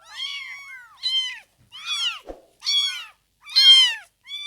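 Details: High-pitched meows from newborn kittens, up to fifteen days old, come in short separate bursts about every half second to second, some rising then falling, with one soft click between them in a quiet room.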